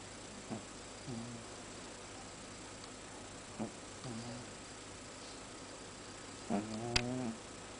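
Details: Sleeping pet cat snoring quite loudly indoors: short, low, buzzy breaths recurring irregularly about every second or few seconds, a slightly louder rasping snore near the end, over a soft steady background hiss.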